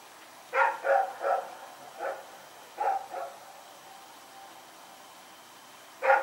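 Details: Rex the dog barking while running around in the night, recorded 21 September 2018: a quick run of four barks, then two more, and a final bark after a pause, against a quiet steady hum.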